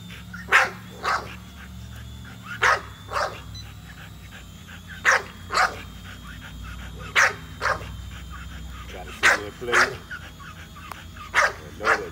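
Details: Nola, an American Bully dog, barks while chasing a drone. Sharp, loud barks come mostly in pairs, roughly every two seconds, over the steady mechanical hum of the drone.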